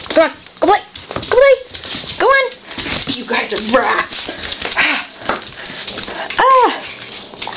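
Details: Puppies at play, JJ and Megan visiting Dot for a play date: a run of high, arching whimpers and short yelps, about six bursts spread across eight seconds, with human voices, cooing praise and scuffling between them.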